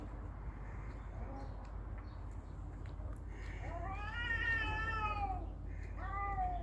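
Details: Cat fight: a long, loud, rich-toned yowl that swells and falls, then a second falling wail, after quiet faint mews over background hum.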